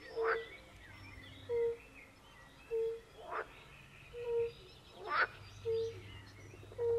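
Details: Forest pond chorus of European fire-bellied toads. Short, mellow hooting notes come at a steady pace of about one per second, with occasional rasping outbursts from pool frogs.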